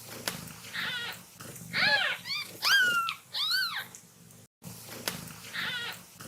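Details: Kitten at play letting out a cluster of arched, rising-and-falling meows in close succession, some overlapping, with faint squeaky notes between them and a brief silent gap before a final softer meow.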